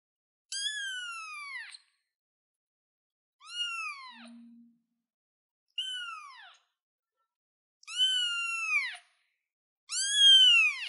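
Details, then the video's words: Baby cat perched on a chair mewing repeatedly, five falling, plaintive meows at about two-second intervals, growing louder and longer toward the end, with a faint low hum once. "baby cat sounds cute kitten kitty cat on the chair"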